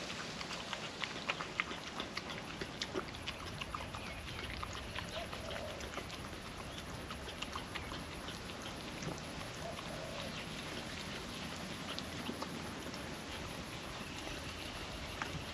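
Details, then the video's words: Hungry female puppy licking and chewing wet food from a food trapper mat on a windy day: dense wet clicks and smacking bursts scattered throughout, over a steady rushing wind. "Wet food ASMR dog eating sounds"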